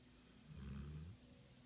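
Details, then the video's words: Lilly, a pit pinscher dog, snoring: one low rumbling snore of about half a second, with deep harmonic bands and no other sounds. "LILLY, pit pinscher snoring"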